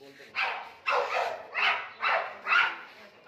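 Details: Oscar, a male British Labrador Retriever with pedigree, barks five times in quick succession, roughly every half second, with short loud bursts as a man coaxes him in Hindi.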